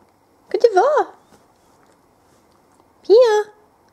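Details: Female whippet puppy aged 20 weeks talking: two wavering, up-and-down warbled vocalizations, the first longer with a rolling yodel-like pitch, the second a short rising-falling woo, separated by silence.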